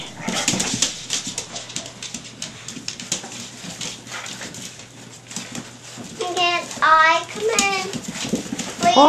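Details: Litter of Staffie pups aged five and a half weeks, inside a small room; soft talk and shuffling give way to a wavering, high, quavering whine that rises and falls rapidly, followed by another brief squeal near the end.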